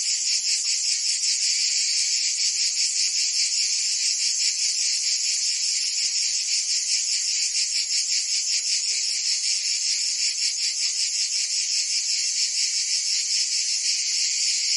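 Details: Provençal summer cicadas in France, singing a loud sustained sizzling buzz with a fast rhythmic pulsing that holds steady throughout, no other animals or noises present.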